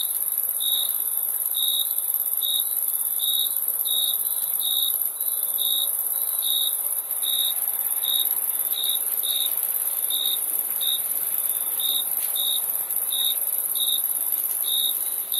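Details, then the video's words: Chirping crickets give bright, high chirps at a slightly uneven pace, about one or two each second, steady throughout. A continuous shrill insect hiss sits above them. "Crickets Chirping Sound"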